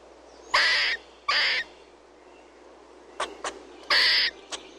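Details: Chirping squirrel gives rough, noisy bursts lasting under half a second, two early and one later, separated by short snapping clicks over a quiet low background hum.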